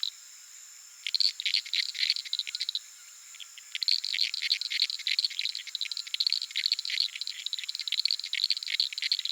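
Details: Night chorus of Uruguay harlequin frogs from a little puddle in the Pantanal's flooded savannah, captured with a Sony PCM A10 and Lom mikroUsi microphones: long runs of fast, rattling clicks, nearly continuous after the first second, above a constant high-pitched insect drone.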